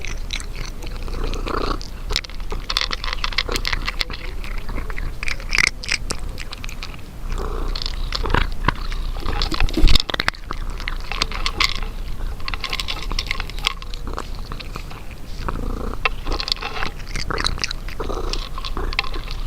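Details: Domestic cat eating, with wet crunching and chewing clicks in irregular bursts and a low purr-like rumble running underneath throughout.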